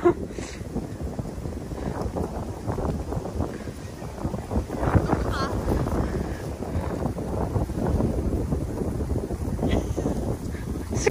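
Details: People talk over strong gusting wind buffeting the microphone, with no animal sound standing out.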